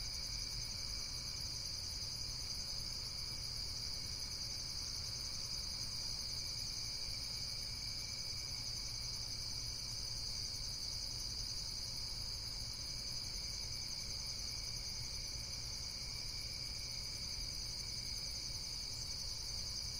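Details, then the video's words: A relaxing insect chorus: shrill, high chirps layered into a constant, even buzz that holds steady throughout, with a soft low background hum beneath. "Amazing Insects World - Relaxation Video with Various Nature & Insects Sounds"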